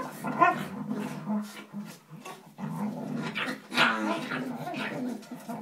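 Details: Two Staffordshire Bull Terrier puppies playing make grumbly, whining little growls and yips, with a person talking nearby.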